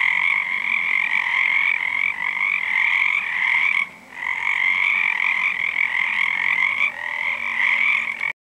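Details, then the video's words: Nighttime chorus of numerous frogs, thought to be Pacific tree frogs, during a full moon in February 2011 by a sauna; continuous overlapping croaking trills, briefly dropping away near four seconds before resuming strongly. "Full Moon Sauna night froggies"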